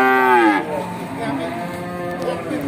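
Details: A young animal among Simmental cattle traded at Bekonang market, Sukoharjo, Central Java: one short, bright moo that slides downward and fades, followed by quieter distant lowing and market noise.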